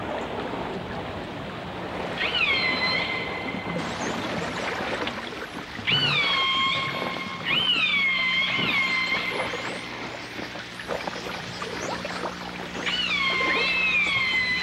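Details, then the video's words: Dolphins and orcas in a 1989 stereo recording: strong harmonic calls that rise sharply and then hold steady, repeated several times, with scattered clicks and a constant watery hiss. "The Enchanting Sounds Of Dolphin Song (Dolphins & Orcas)"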